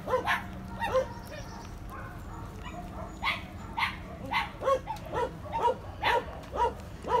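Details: A dog barking in short, sharp yaps, repeated roughly twice a second with uneven spacing; faint human voices and background murmur underneath.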